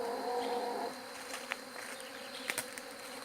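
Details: Bee buzz heard as a continuous droning hum with banded tones, a brief louder whine at the start and a few sharp clicks scattered through.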